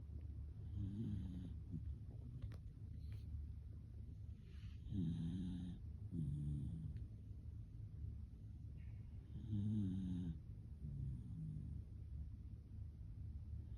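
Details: Shiba Inu snoring: low rumbling snores in irregular bursts, some with a brief higher wheezy edge, separated by quieter breathing; faint high hiss in the background.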